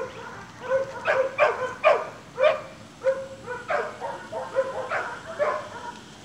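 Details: Almost seven-week-old Staghound pups at play with their chase instinct switched on, giving bursts of high yips and short barks, a few clustered quickly then spaced out, overlapping voices from more than one puppy.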